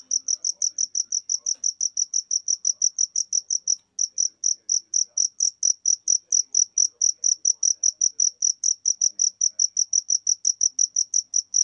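A cricket chirps steadily, giving high, clear pulses about four times a second.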